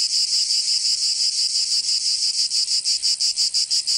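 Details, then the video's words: Cicada song from Provence in southern France during summer: an intense high buzz that starts smooth and then breaks into distinct rapid pulses, about three each second. "Canto Cigarra 🦗 [ Escuchar les cigarras en verano 10 H]"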